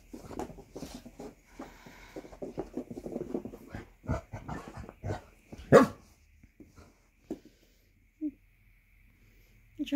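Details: Basset hounds, Millie with Percy and Angus, play-fighting indoors in a morning game of bitey face after breakfast; a woman talks over scuffling, then a sudden sharp bark bursts out, followed by a few short grunts.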